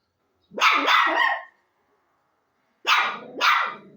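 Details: A dog gives two loud double barks, each rough and broad, over a second apart, with a fading lower tail after the last bark and silence in between.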